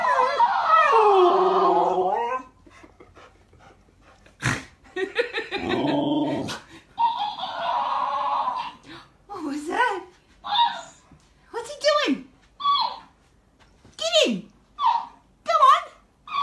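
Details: Alaskan Malamute named Tilha, female, in a heated back-and-forth with a talking toy hamster indoors; a long wavering howl-like moan opens, then speech and a string of short rising-and-falling yowling bursts, some higher-pitched echoes from the toy.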